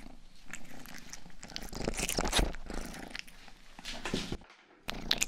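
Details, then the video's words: Pet cat Rang-i, the youngest of the household, licks a 3Dio microphone's ears in a small room; soft purring hums underneath crisp, close licking and smacking sounds, followed by a short silent gap near the end. "Purring & ear licking sound"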